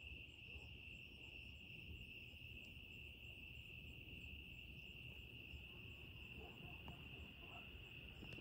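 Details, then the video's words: Crickets singing on a quiet evening in Texas: a steady, unbroken high-pitched trill holds throughout, over a faint low rumble of background noise. "The crickets are singing"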